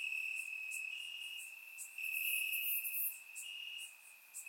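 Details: Crickets in grass on a warm Bulgarian summer night, surround microphone: an unbroken high, thin trill holding one pitch, briefly louder midway, with quick sharper chirps of other insects above it.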